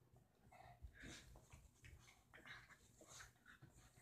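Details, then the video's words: Roxie, a deer-head Chihuahua, trying to get Reese, a Dorkie, to play: soft, brief whines and squeaky whimpers rising and falling over quiet panting and shuffling, a few short tonal yelps scattered through. "Roxie, my deer-head chihuahua, trying to get Reese, my Dorkie, to play...lol"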